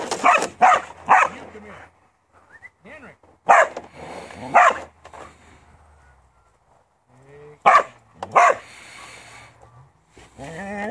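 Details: Farm working Border Collie barking in pairs of sharp, loud barks, three pairs spaced several seconds apart, with whining and a man's voice in between.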